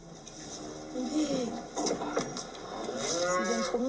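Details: Salers cow in Cantal, France, lowing at 5:20 a.m. just after calving her first female calf; several short, bending moos rise and fall in pitch, with rustling straw and light barn sounds between them.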